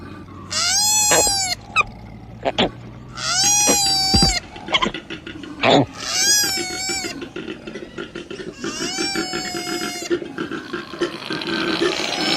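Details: Koala giving four steady, whining squeals at even intervals of about three seconds. Faint clicks sound between them, and a hissing rustle builds toward the end.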